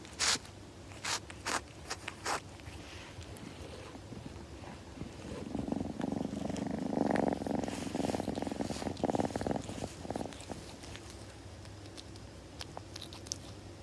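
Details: A kitten grooming indoors: scattered sharp licking sounds at the start, then a soft low purr swelling in the middle of the recording and fading, with more licks and rustles around it.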